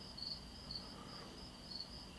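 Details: Crickets and cicadas in the still of the night outdoors: a soft, continuous high trilling drone with faint pulses swelling about every half second, with a low hum beneath.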